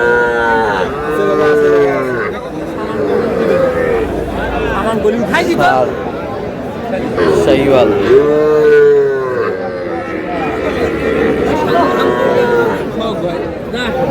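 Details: Young bulls and heifer calves at a crowded livestock market in Rangpur, Bangladesh, bawl in overlapping drawn-out moos with wavering, sliding pitch, several calves calling at once over steady crowd chatter and bargaining voices.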